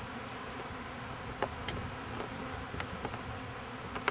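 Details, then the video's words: Swarm of honeybees being removed from a lilac bush, the bees quite active: a steady, diffuse humming drone with scattered sharp clicks and a constant thin high whine throughout. "bee swarm"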